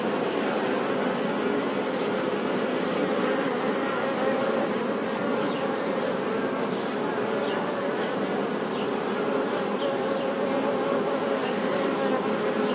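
Bees fill the air with a continuous, droning buzz that holds steady from start to finish. The hum is thick and layered, like a whole swarm or hive in flight.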